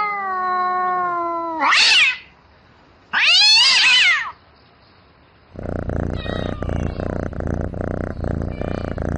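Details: Domestic cat calling for a mate at night. A long, level meow is followed by two sharp, high rising-and-falling yowls. Then comes a rapid, rough, pulsing rumble, like purring, for the last few seconds.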